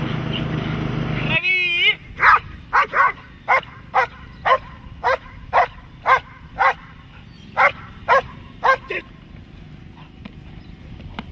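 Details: Dog in protection training, barking in a steady run of about fourteen sharp, loud barks, roughly one every half second, after a short burst of low rumbling noise and a wavering tone at the start.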